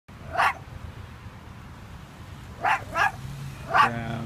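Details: Dog locked inside a car with the windows up in Pleasantville, South Jersey, filmed on an iPhone 5s; a single sharp bark, then a quick pair about two seconds later and a final bark, over a steady low hum.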